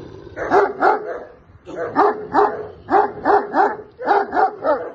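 Deep, heavy barks from a Caucasian Shepherd Dog come in rhythmic clusters of two or three. Each woof is loud and chesty, with brief pauses between the groups.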